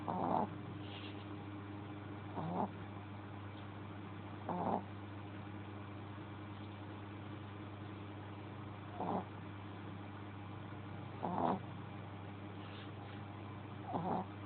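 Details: Pet Shih Tzu sleeping and snoring: soft, breathy rasping bursts at irregular gaps of about two to four seconds, over a steady low electrical hum in a quiet room.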